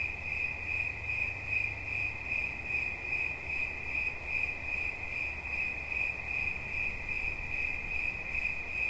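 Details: Cricket sounds meant for relaxing: rapid, evenly repeated high chirps pulse over a sustained shrill tone, accompanied by a low rumbling noise, strongest near the start.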